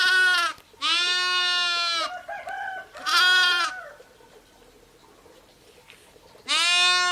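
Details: Sheep, ewes and lambs, calling in a series of loud harmonic bleats, a short one, a long one and another, then a softer murmur and a long pause before a final strong bleat.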